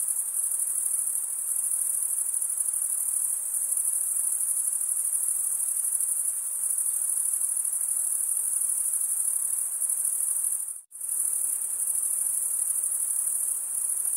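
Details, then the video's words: Continuous cricket chirping, produced by rubbing the wings together. A piercing high trill runs unbroken apart from one sudden, near-silent cut about eleven seconds in, then resumes at the same level. "cricket sound"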